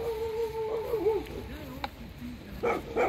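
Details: An angry Alaskan Malamute out in cold rain; a drawn-out, wavering howl-like moan that bends up and down in pitch, then sinks lower, ending with two short sharp yelps; rain hiss throughout.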